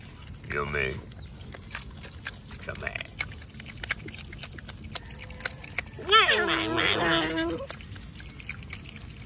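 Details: Otters at their mealtime with mullets back on the menu: one short squeal early on, then a long, loud, wavering harmonic squeal lasting over a second, amid faint rustling and clicks.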